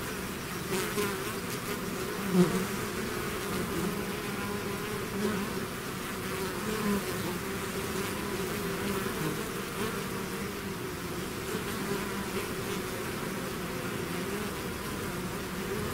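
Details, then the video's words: Honeybee swarm out of its hive: a dense, continuous buzzing hum from many bees, steady and unbroken, with bands of drone overlapping throughout and no other sounds clearly heard. "bees therapy swarm natural buzzing sound"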